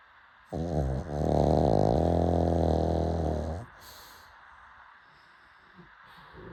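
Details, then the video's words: Late-night snoring from a pug: one drawn-out, rasping snore lasting about three seconds, low and rattling, then soft quiet breathing. "Late night snoring"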